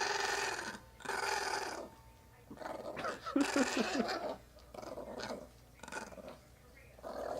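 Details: An excited, riled-up male Chihuahua makes a burst of strange growly, whining noises, with a person's voice now and then.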